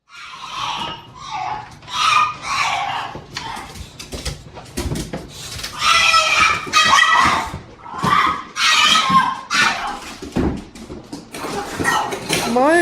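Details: A female French Bulldog gives a run of excited whines, grunts and squealing yowls, happy that her owner has come home.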